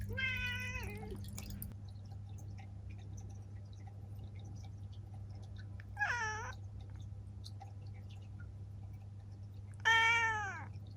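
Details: Three meows from Ciel, a seven-year-old female black cat, roughly four to six seconds apart. The middle cry is short and high, while the outer two are longer with a downward-bending tone, all over a steady low hum.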